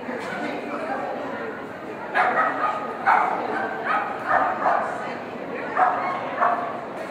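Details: Seamus, an Irish Setter, barking during a Master Standard agility trial on 21 September 2013: sharp, broad barks start after two seconds and come in quick bursts about once a second, with people talking throughout.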